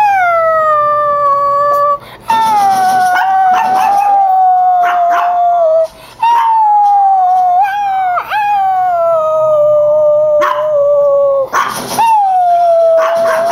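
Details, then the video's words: Chihuahuas named Gia and Mojo howling at an annoying whining sound; sustained, gently sliding howls overlap in long unbroken stretches, with short yelps and whimpers breaking in now and then. "Chihuahua Getting Mad At Annoying Sound!"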